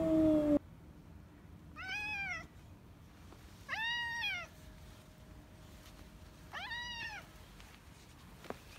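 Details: Retired boss cat Yongo, also called Kuro, once ruler of a residential area and now in end-of-life care at home after collapsing in March 2020, gives three drawn-out, arching meows roughly two seconds apart in a quiet room.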